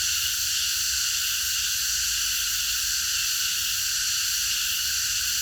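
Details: Cicada chorus heard at night in a park, a uniform shrill hiss-like drone sustained without rhythm changes, over a quiet low-frequency rumble.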